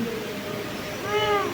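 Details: Pet cat meowing as if talking to its owner indoors; a short, rising-then-falling tonal meow near the end, over background room noise and a person's voice.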